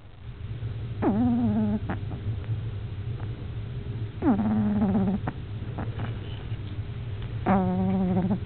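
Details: Luxe, an 8-week-old French Bulldog puppy, snoring away: three tonal, nasal snores about every three seconds, each a short falling wheeze that levels into a steady hum, over a constant low rumble.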